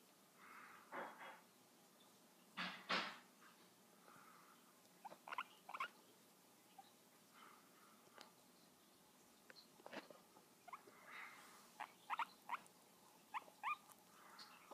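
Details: Guinea pig giving 'kisses', short squeaky chirps and soft snuffling clicks scattered irregularly, some in quick pairs, with quiet room tone between.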